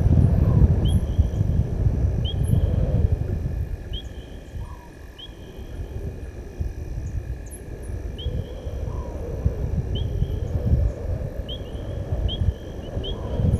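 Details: Evening roaring of a male lion that crossed the Gowrie dam wall on Djuma Game Reserve, South Africa, 18 August 2022; low, heavy roars open loudly, fade, then build again, while small birds chirp repeatedly and a constant hum runs beneath.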